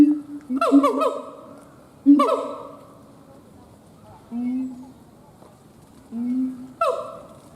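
A monkey gives loud, nasal, harmonic calls with sharp pitch sweeps, answered by softer, lower, drawn-out notes.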